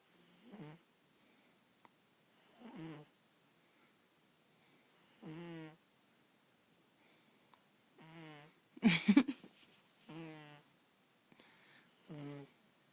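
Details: A female house cat snoring while asleep, a habit she has daily. Soft, low, rasping breaths with buzzy harmonics come roughly every two and a half seconds, evenly spaced in a quiet room, with one sharp knock partway through.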